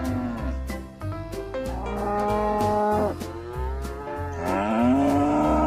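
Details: Long, sustained bovine moos, full and resonant, the last one rising steadily in pitch, over continuous background music with a pulsing bass and percussion.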